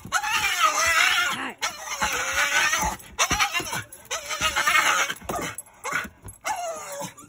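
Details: Rat Terrier in its kennel, kept there to settle while someone is downstairs; drawn-out wailing cries with a wavering pitch, four to five in a row with brief gaps, harsh and shrill.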